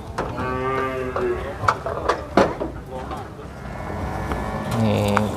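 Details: At the Prambanan cattle market, a cow gives a brief moo, then clattering, thumps and voices fill the gap before a second short low moo near the end.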